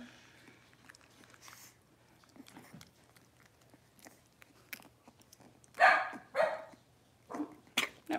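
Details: Six-week-old Cavalier King Charles Spaniel puppies indoors while being dewormed and having their toenails trimmed; after long quiet handling rustles and clicks, sharp broadband yelps burst out near the end, two close together then a few shorter ones.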